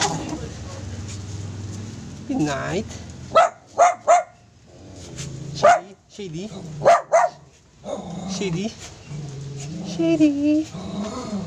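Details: Pet poodle giving short, sharp barks in quick clusters of two and three, with pauses between bursts, while people talk over and around it throughout.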